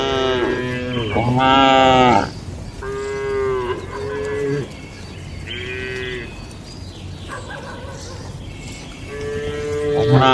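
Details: Several cattle low in a traditional shed at night: a loud opening moo, then a run of shorter, softer calls overlapping one another, with a louder moo at the end.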